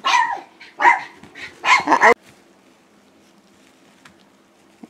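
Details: Five-week-old Schipperke puppies named Aaron, Abbey and Annie on a porch, giving several short high yipping barks and whimpers in quick bursts over two seconds, then quiet.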